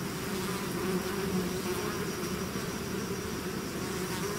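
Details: A bees swarm out of its hive fills the air with unbroken droning, low pitched buzz bands steady in loudness, many wings overlapping.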